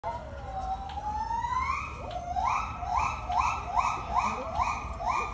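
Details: Gibbons in a zoo call: a long, slow, upward-sliding whoop breaks into loud, rising, siren-like hoots repeated faster and faster, about two or three a second.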